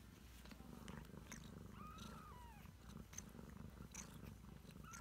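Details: Deep, even rumbling purr from a Ragdoll mother with 3-week-old kittens, filling the clip, with one brief faint kitten mew and light clicks.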